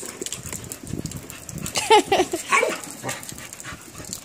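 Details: A Rottweiler puppy at play gives a few high, squeaky yips and whines, with a person talking nearby.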